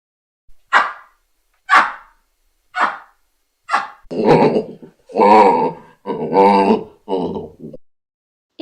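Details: A zoo baboon opens with four short, explosive barks about a second apart, then a rapid run of longer, rough, hoarse, grunting harmonic calls.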